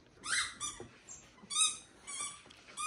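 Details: Pet dogs at home indoors, trying to get attention while someone sits down to watch TV; high squeaky whines in three rising bursts with harmonic overtones, short gaps between them, quiet room.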